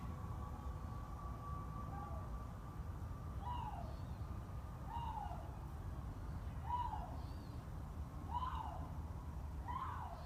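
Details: A captive Canada lynx at a big cat rescue, heard in the background at dusk as light fades, gives hollow, hooting woo calls repeated every second or two over low rumbling background noise.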